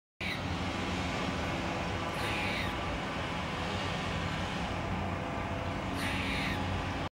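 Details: A squirrel gives two harsh, raspy alarm calls several seconds apart over steady rushing background noise, recorded on 30 January 2023.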